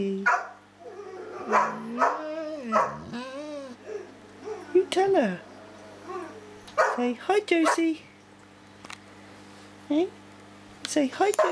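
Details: Dog talking with a companion dog indoors, a woman urging it to say hi: warbling, bending whines and short yelps at varied pitch, mixed with her speech and a low background hum.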